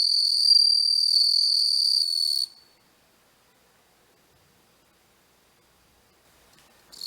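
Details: Bell cricket filmed up close with a macro lens, singing a steady high, bell-like ringing trill for about two and a half seconds before stopping abruptly; silence follows, with the ringing resuming faintly at the very end.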